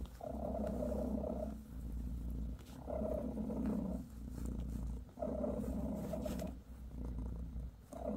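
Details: Bassy the British shorthair mother purrs steadily as she massages her kittens, a continuous low vibrating drone pulsing in roughly two-second breath cycles, with soft handling noises.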